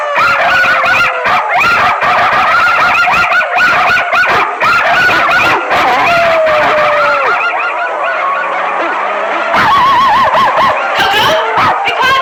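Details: Bulldog howling: loud, wavering howl tones with rapid pitch wobbles, sustained over several seconds, briefly easing into a lower steady tone before resuming with bouncing, warbling howls.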